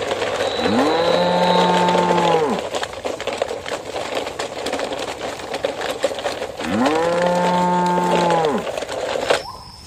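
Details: Riding a truck along a muddy, waterlogged road ahead of Eid al-Adha qurban slaughter in Indonesia, a cow utters two sustained, rich moos about five seconds apart over rumbling engine and rattling noise.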